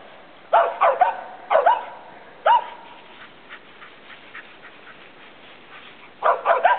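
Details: Treeing Feist squirrel dogs Taz and Princess, two pups of old Slick, barking at a treed squirrel; sharp yelping barks come in short bursts of two or three, with long quiet gaps between them.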